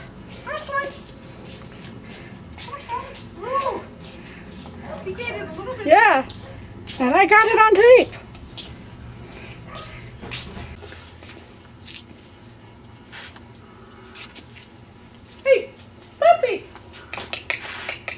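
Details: Ten-week-old Cardigan Welsh Corgi puppies indoors give a few rising-falling whiny yelps, clustered in a burst of several sharp cries midway, with later short squeaks, while people talk and call to them throughout.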